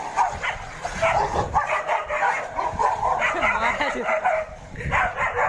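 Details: Several dogs fighting, a dense, continuous tangle of overlapping snarls, growls, yelps and barks with no pauses, harsh and noisy throughout.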